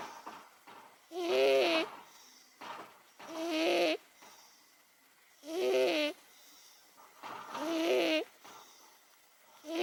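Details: Eighteen-year-old cat Momo snoring steadily as she sleeps, a long-standing habit: rough, buzzing breaths with a throaty tone, repeated about every two seconds, with faint rasping between.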